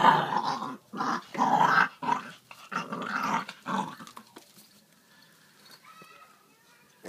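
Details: Dog fighting over food, growling indoors: four harsh, rasping growl bursts, each under a second, close together, then quieter rustling and faint noises.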